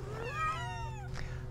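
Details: Cat or kitten giving a single drawn-out meow that rises then slides downward, heard over a low electrical hum.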